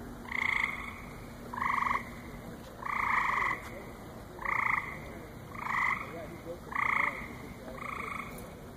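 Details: Night chorus at a lily pond at the Cranbrook Institute of Science on July 7, 2014: seven evenly pitched, buzzy, banjo-like croaks, one about every 1.1 seconds, each lasting under half a second, with soft background hiss.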